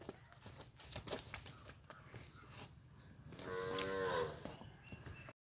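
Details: Punganur bull at P Gannavaram giving one moo of about a second, a rich harmonic tone that rises slightly then falls away, after several seconds of knocking, clattering background noise.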